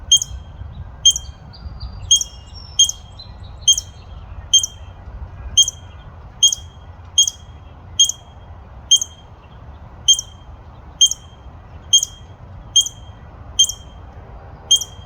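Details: A barking squirrel keeps up a long run of about seventeen abrupt, piercing chirps, evenly paced under a second apart, each a brief high note with a thin overtone, and a few fainter notes in the opening seconds.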